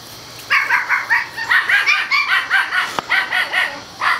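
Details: Seven-week-old male Toy Schnauzer puppies, four of them, romping outside; a steady run of high-pitched yaps repeats roughly twice per second, with one sharp click partway through.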